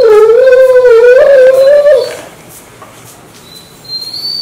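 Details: Mansu the dog, sleeping indoors with the air conditioner on during three months of hot weather, wakes its owner each morning with a strange sound: one wavering, harmonic, howl-like note lasting about two seconds, then near silence.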